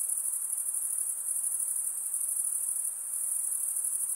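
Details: High, shrill insect trilling at night, constant and unbroken for the whole stretch with a brief slight dip in loudness, over a low soft hiss.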